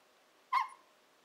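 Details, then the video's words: Shiba Inu puppy Nanako, aged 14-15 weeks, gives a single brief falling whine indoors while "talking" to her owners, a behaviour linked to wanting breakfast or dinner. "A Conversation with Nanako"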